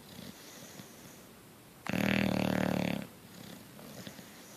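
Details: Sleeping bulldog named Coach gives a single harsh, droning snore of about one second, rough and buzzy with a strong low hum, set between stretches of faint breathing.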